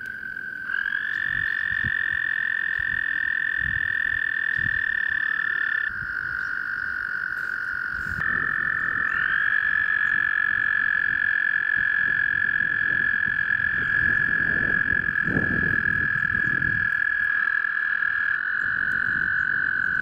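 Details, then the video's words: Several American toads trilling in the breeding season at Eldon Russel Park in Ohio's Geauga Park System; long sustained buzzy trills overlap and start and stop at different times, with soft low thumps and rustling beneath. "Toads Singing"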